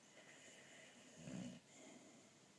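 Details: Sleeping boxer dog kept as a pet, giving a single low, rough snore of about half a second over a steady indoor hiss.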